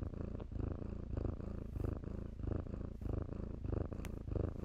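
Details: Rich, rhythmic purr from playful kittens in blankets, deep rumbling pulses rising and falling roughly every half second, with one quick rustle near the end.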